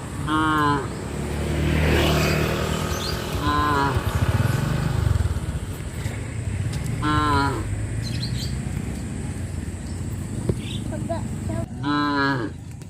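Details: Cows of a traditional village farm moo repeatedly on the streets, five short bellows spread over thirteen seconds, while engine rumble from vehicles or motorcycles runs loudly beneath them.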